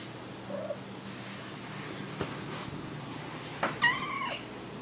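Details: Domestic cat shut in a laundry room, wanting to go outside: one short arching, harmonic-rich meow near the end, after a soft low murmur and a knock, over steady indoor hum.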